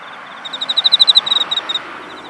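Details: In a cosmos field in autumn, an insect gives a clear, ringing series of rapid pulses that swells and then fades.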